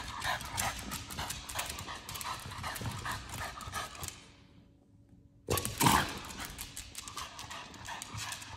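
A French Bulldog pants in quick, rough, breathy bursts, pauses briefly, then resumes with a louder snort.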